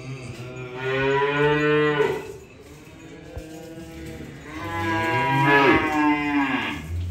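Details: Two moos from cattle being unloaded, the first about a second and a half and the second rising then falling, with a low steady hum underneath and a brief click in the pause.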